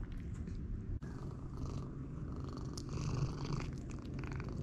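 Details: Jericho, a domestic cat fed fully raw since 2018, purring indoors at mealtime: a steady low rumbling purr runs throughout, with soft wet eating noises and a brief dropout near the one-second mark.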